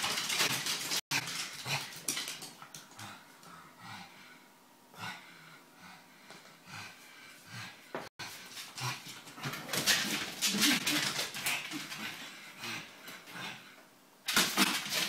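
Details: Pet pug indoors, acting as if it has gained a new friend; soft broken whimpers and short yelps come in irregular bursts across the recording, with room noise and rustling between them.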